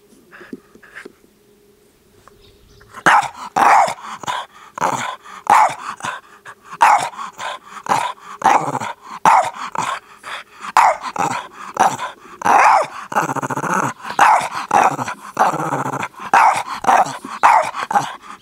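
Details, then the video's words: Two male Boston Terriers, playful and excited, barking in rapid sharp bursts after a quiet start, several barks per second in clustered volleys with occasional growly, drawn-out yaps, continuing steadily for about fifteen seconds. "【Boston Terrier】Dog barking."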